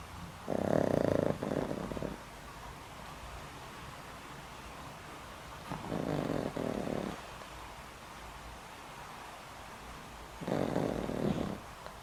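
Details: Boram, a pet dog over twenty years old with a weakening heart, snoring loudly while asleep at home: three rough, droning snores about two seconds and five seconds apart, each lasting roughly a second, with quiet breathing between.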